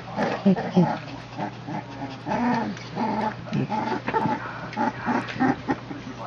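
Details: Puppies three weeks old wrestling in play; short growls and squeaky whines repeat roughly every half second, mixed with human voices and a steady low hum.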